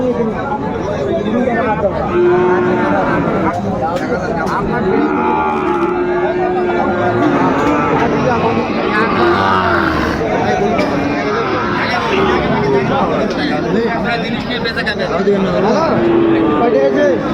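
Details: Several long, steady moos from Sahiwal bull calves at a busy livestock market, 9 January 2025. Dense background of people talking and bargaining.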